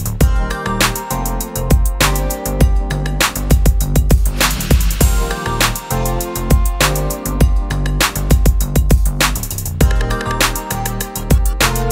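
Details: Loud electronic music with a thumping drum beat and bass plays throughout, with no animal voice heard.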